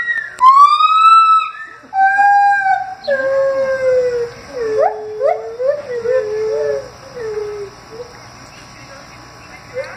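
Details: Gibbons at Henry Vilas Zoo on 8/9/2015 howl in clear, pure whoops that swoop upward, then break into a run of quick rising and falling hoots.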